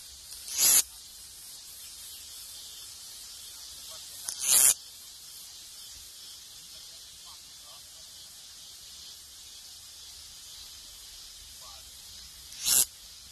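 A cicada gives short, harsh buzzing bursts, each about half a second, spaced several seconds apart.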